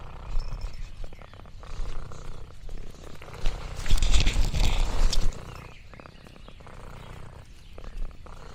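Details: Orange tabby cat Lexi purring as she explores the farm countryside, a deep steady rumble with a louder burst of crinkling leaves around the middle.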